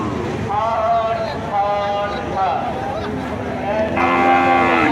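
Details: Cattle at the Kuchiamora cattle and goat market on 26/5/2026: several overlapping drawn-out harmonic lows and moos against a busy backdrop of crowd chatter and a steady murmur, with a louder call rising near the end.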